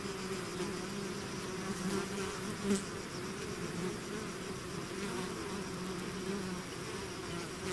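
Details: Many bees in a swarm that has left its hive drone steadily, a low two-toned hum with a brief louder fly-by just before the three-second point.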